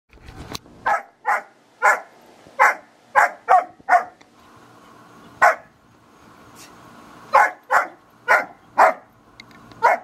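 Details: Two dogs, a 5-month-old German Shepherd puppy and an American Eskimo Dog, are at play. The barks are sharp and mid-pitched, about sixteen in ten seconds, in quick bursts with a pause in the middle.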